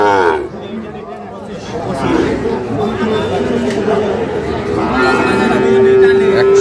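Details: Crowded cattle market at Ambari, Parbatipur, Dinajpur, Bangladesh, 11 July 2025, where fattened Sahiwal bull calves are sold. Brief lows rise through dense human chatter, ending in a flat, sustained moo.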